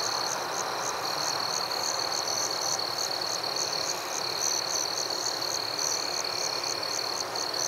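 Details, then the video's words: Night forest crickets: a continuous piercing trill with rapid, evenly spaced high chirps layered on top, roughly three per second, backed by a broad steady rushing noise. "Crickets at Night"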